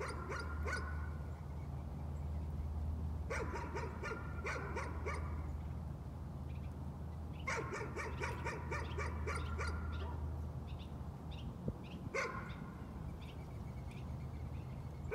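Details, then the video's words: Nuisance barking from a dog, coming in short bursts of rapid, high yaps every few seconds, separated by quiet gaps, over a steady low mechanical hum. "Nuisance barking again."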